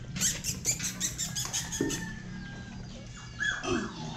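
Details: Belgian Malinois puppies one month old, from a litter of ten (five male, five female) born to the mother Vibory, give a rapid run of high, squeaky whimpers for about two seconds, then quieter whines over a steady low hum.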